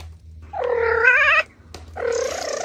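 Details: Playful kittens on grass utter two meows in close succession, each nearly a second long with rich harmonics and slight wavering, over a low background hum.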